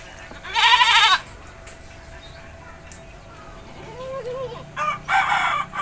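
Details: Goat being bathed in a village lets out a loud quavering bleat, then a quieter wavering call and two more harsh bleats close together at the end.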